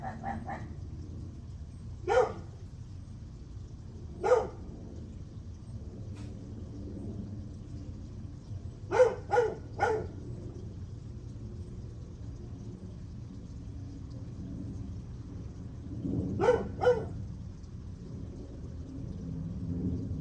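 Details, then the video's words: A dog barking on July 9 at 8:38 am; short sharp barks come singly or in quick pairs and triplets with long gaps between, over a steady low background rumble. "Barking dog"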